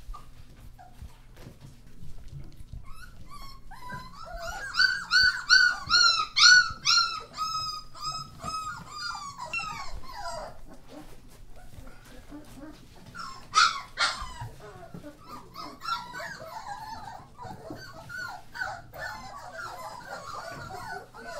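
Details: German Shorthaired Pointer puppies from a litter of thirteen born on New Year's Day 2014, indoors: a chorus of high, wavering whimpers and squeals, densest in the middle, with overlapping thin cries and a steady low hum.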